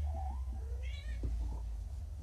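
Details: Hungry kitten back from neutering, still unsteady from painkillers, mewing indoors as food is held back; a soft low whine first, then one sharp, high, wavering meow, with low room hum throughout.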